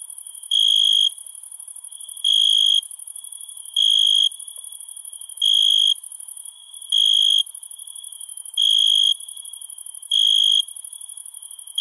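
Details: A cricket at night gives pure, high trilled chirps, each half a second long, repeating steadily every second and a half.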